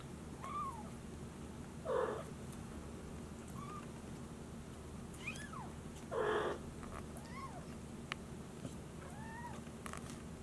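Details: Maine Coon kittens, silver and brown, kept by a breeder in Tokyo, wandering a room days after leaving the nesting box; two short, loud meows near 2 and 6 seconds, with faint higher rising-falling squeaks between.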